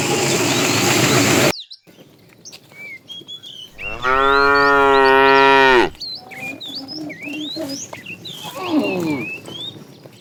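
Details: Cows wander a road looking for food; after a burst of noise, a loud steady two-second moo rich in harmonics, then a fainter falling moo, while small birds chirp and whistle around.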